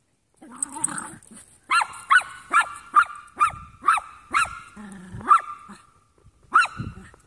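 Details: Three young Jack Russell mixes at play, a low growl opening into a steady string of about eight sharp high barks, a whiny rising growl, then one last bark.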